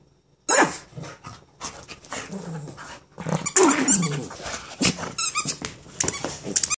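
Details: Pet dog trying to bark at a dog outside without dropping its new toy, indoors; a continuous run of muffled, squeaky, growling barks and whines, with sharp clicks or squeaks from the toy mixed in.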